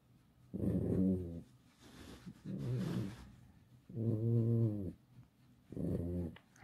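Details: Domestic fox named Alice complaining with four throaty, harmonic moans, each under a second long, rising slightly then falling, separated by brief breathy gaps, indoors with no other sounds.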